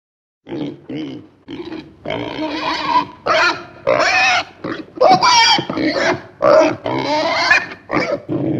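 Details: Domestic pig giving a series of loud, harsh squeals and shrieks in separate bursts of about half a second to a second, some with rising and falling tonal streaks, after a brief silent start.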